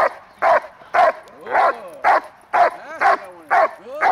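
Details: Hunter, grandson of Congo Vikar, barking on the hold during protection training, May 19, 2020; steady barks near twice a second, with thin rising and falling whines heard between several of them.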